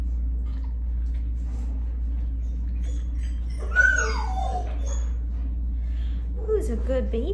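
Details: Tan and white male mastiff/pit bull mix named Noah, five years old, lets out one descending whine midway, then soft murmuring sounds follow near the end against a constant low background hum.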